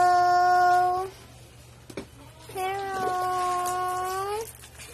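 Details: Shih Tzu, a pet toy dog, gives two long, steady howls, the first about a second long and the second nearly two seconds long, holding an even pitch with rich overtones, in a small quiet room.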